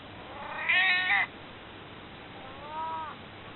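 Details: Elderly domestic cat nearly 22 years old meowing to ask to be held: one loud, harmonic-rich drawn-out meow, then a second much fainter, softer meow about two seconds later, over quiet room hiss.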